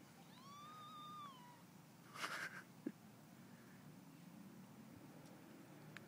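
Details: Pet cats squabbling over food: a drawn-out, even-pitched meow lasting over a second, rich in overtones, followed by a short rough burst of noise and a single sharp knock.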